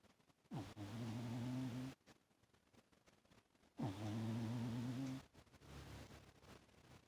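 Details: A domestic cat snoring fairly loudly while asleep on its owner's lap. Two rough, droning snores, each about 1.4 seconds long, come roughly three seconds apart, with quiet breathing noise between.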